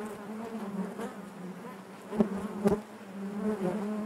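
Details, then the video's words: Inside a honey bee hive, a continuous low droning hum with layered harmonics, interrupted by two short sharp taps midway through. "bees therapy hive natural buzzing sound"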